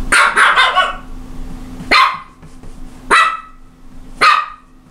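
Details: Japanese Chin barking: a quick run of yappy barks at the start, then single sharp barks about every second, each bright and abrupt, over a faint steady hum.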